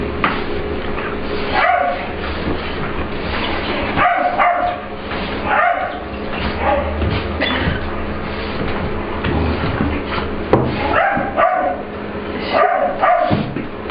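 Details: English Bulldog/Pit Bull puppy Ester playing with another dog, Layla, in a grooming room at work, claiming the room as hers; short rough barks and growly bursts come in scattered clusters over a steady low hum.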